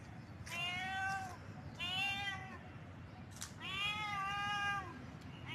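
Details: Cat in heat yowling: three drawn-out, rich meows, the last the longest and wavering, with brief clicks between calls over a low murmur.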